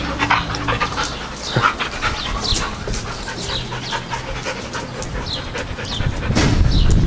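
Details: Pet dogs, a one-year-old German Shepherd mix and a two-year-old Husky newly adopted from a shelter, heard indoors with rapid, breathy panting bursts repeating about three times per second, mixed with scuffling and brief human voice commands.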